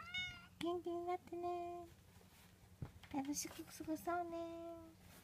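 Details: Munchkin kitten, 24 days old, from the litter of Momo, a Munchkin cat, mewing indoors: several thin, high, tonal mews, some short and some drawn out and slightly falling, with a brief clatter and pause between them.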